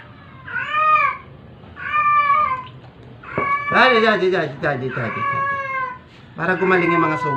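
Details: Sick stray cat meowing during force-feeding: two clear arched meows, then a burst of crying mixed with a human voice, ending with a strong rising meow.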